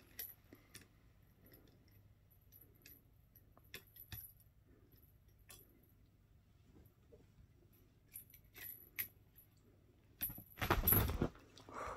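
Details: Quiet indoor room with scattered light clicks and taps, then a short burst of rustling near the end.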